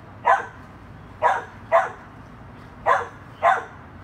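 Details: Dachshund playing with a chihuahua, five sharp, mid-pitched barks at irregular intervals of about half a second to a second, each short and punchy, over a low steady background rumble.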